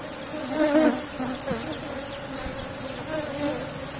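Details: Strong colony of Asian honey bees in a kept box hive, buzzing as honey is taken; a constant low hum with a higher overtone, louder in the first second, then steady.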